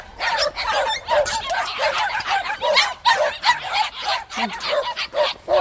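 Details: A group of white puppies in a plum orchard barking excitedly, rapid high-pitched yips from several dogs overlapping almost continuously, with a person's voice briefly audible beneath the noise.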